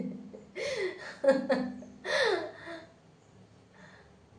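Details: Speech and laughter in a small indoor room, with giggling bursts and breathing; no animal sound can be picked out.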